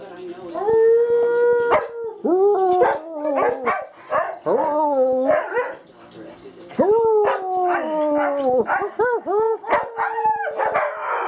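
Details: Singing dog giving a continuous run of long, wavering howls that slide up and down, some held nearly two seconds and others broken into short yelping rises, with a brief pause midway and faint human voices.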